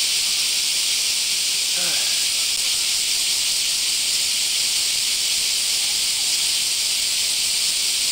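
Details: Hot summer morning in Japan's Kansai region filled with semi cicadas: an unbroken, loud, sizzling high buzz holding steady throughout, one short spoken sound early on.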